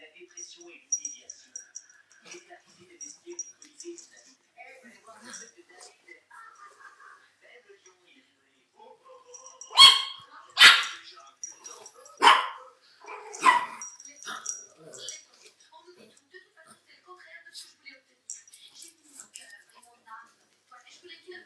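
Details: From 27 September 2009, pet Chihuahuas Félia and Fox: after quiet talk and faint background noise, a burst of four or five high yapping barks in quick succession, then murmured speech again.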